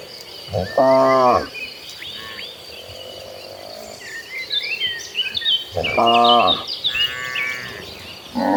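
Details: Agitated cattle herd heading toward green pastures: two separate deep, harmonic moos about five seconds apart, each lasting under a second, with birds twittering in the background between calls.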